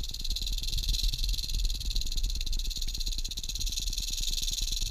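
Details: Western diamondback rattlesnake met on a hike at Wichita Mountains Wildlife Refuge in southwest Oklahoma, filmed on a GoPro held on a selfie stick: a steady, dry, high hissing buzz runs unbroken throughout, over a low rhythmic thumping.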